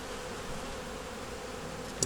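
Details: A honey bee nuc colony hums steadily as frames are taken out one at a time during a winter inspection; an even, mid-pitched drone ends with a short knock of equipment.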